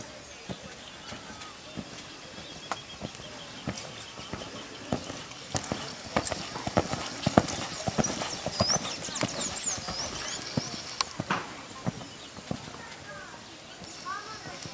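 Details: Nine-year-old purebred Lusitano stallion, 1.72 m tall, on a stud farm; sharp hoof clip-clops land at an uneven pace, roughly a hundred a minute, with people talking and brief chirping birds in the background.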